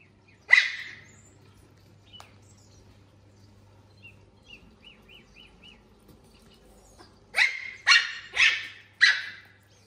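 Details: A puppy reacting to a laser pointer, with a kitten also present: one sharp bark near the start, a soft faint squeaky series in the middle, then four loud yipping barks close together near the end.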